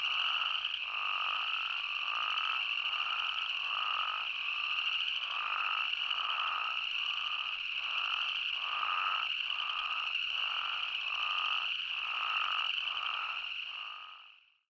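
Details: Arizona spadefoot toads in full chorus: a continuous high drone overlaid by short nasal bleats repeating roughly every three-quarters of a second, many callers overlapping, fading out at the end.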